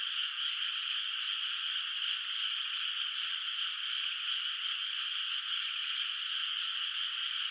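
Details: A moonlit rice field at night, water still bare of rice, carries a distant frog chorus: a uniform high buzzing drone of countless calls blending together, level and unbroken, with nothing else heard.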